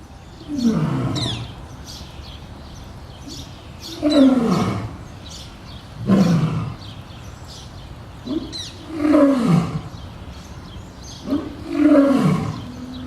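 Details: Captive lion roaring at a zoo in Boston, Massachusetts: deep, groaning roars that slide downward, five of them about every two to three seconds.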